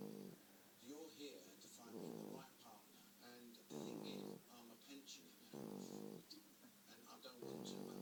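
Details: Sleeping four-month-old bulldog puppy snoring, deep rasping breaths in slow cycles about every two seconds, each inhale a rough harmonic drone, indoors and quiet.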